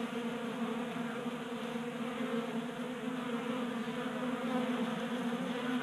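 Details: Honey bees feeding at a 3D-printed tabletop feeder in a Colorado garage on a warm January day, active from late heat. Steady layered droning hum from many wings, unbroken throughout.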